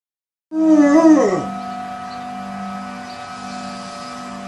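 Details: Bear, a dog that howls at any siren, answers a tornado siren: a loud, wavering, moaning howl of about one second slides sharply downward, then steady droning siren tones continue to the end.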